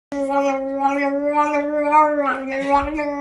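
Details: Pug howling or singing in one sustained, steady, tonal note with rich overtones, held for about three seconds with slight wavering.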